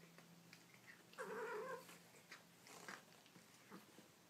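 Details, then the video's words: Baby kitten making cute noises indoors: one drawn-out, wavering meow of about half a second with a strong harmonic stack, followed by softer short squeaks and faint shuffling over a low steady hum. "Baby Kittens Making Cute Noises"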